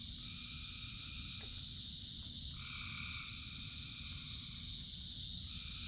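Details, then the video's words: Frogs calling together in rain, a continuous high-pitched chorus with one longer two-toned trill rising out of it midway, against a dense low hiss of falling rain. "Frogs in Rain 2 Hours of Frogs, Thousands of Frogs Singing"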